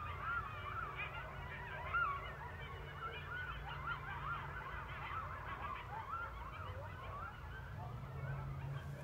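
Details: A coyote pack chorus at night in rural Missouri, set off by a passing train, with wavering howls and quick yips over a steady low rumble; owls and domestic dogs join in.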